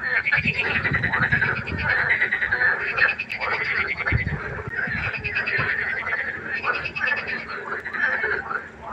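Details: Nighttime pond frog chorus, a dense wall of pulsed, rattling croaks that keeps going with hardly a pause, broken by a few low thumps near the start.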